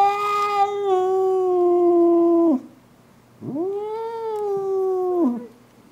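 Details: Furious pet cat Clara caterwauling at a rival cat by the window: two long, level, harmonic wails, the first about two and a half seconds, the second rising in then falling off at the end.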